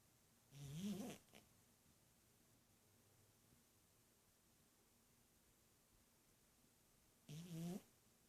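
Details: Snoring from Azrael, a domestic cat: two rasping, slightly rising snores, one near the start and one near the end, separated by about six seconds of quiet room hiss.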